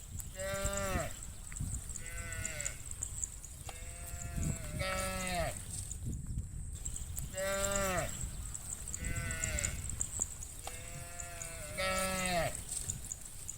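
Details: Hundreds of cattle heading toward the farm pen in the afternoon; repeated drawn-out harmonic calls from several animals, some sounding high and bleat-like, rising and falling over a steady low rumble of hooves and movement.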